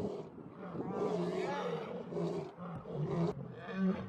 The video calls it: ketika si raja hutan mengaum,ngeri suara auman singa jantan